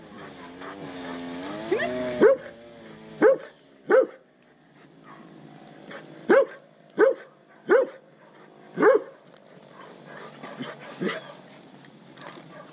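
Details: Undersocialized rescue Rottweiler Catahoula Leopard Dog mix named Pablo Pinto, caught in the Redlands area of South Florida and fearful of people, barking in single abrupt yaps, about six in a row at uneven intervals, after a brief fading drone.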